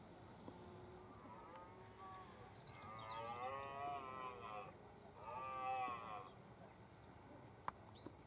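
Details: Red deer stag during the autumn rut on Westleton Heath, Suffolk, UK, 3 October 2015 around 4pm, two stags present; two long, drawn-out groaning roars, the second shorter, over faint background hiss.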